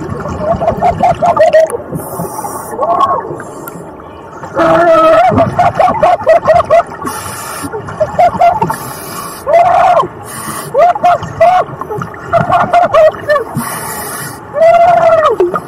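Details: A gray whale up close to scuba divers in La Jolla gives short, arching tonal calls, repeated over bursts of diver bubbles.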